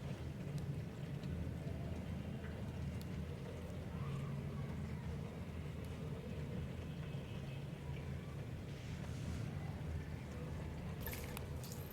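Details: Low rumbling traffic and vehicle noise with faint background voices and a few clicks, no animal calls heard.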